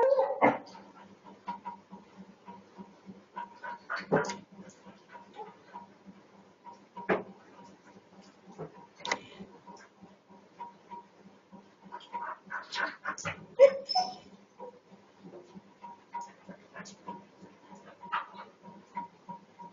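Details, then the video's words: Pet dog reacting after seeing a cat jump over a wall: sharp, scattered barks and short whimpers come in irregular bursts over a steady low hum indoors. "My dog sees a cat jumping over the wall and reacts"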